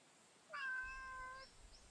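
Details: A single clear, drawn-out meow from a female street cat met during a daytime walk, rich in harmonics and falling slightly at the end, in quiet surroundings.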